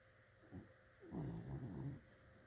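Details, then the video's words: Dog asleep, giving one long rough snore of about a second, low and rattling, preceded by a short soft breath, over a faint steady background hum. "Dog snoring"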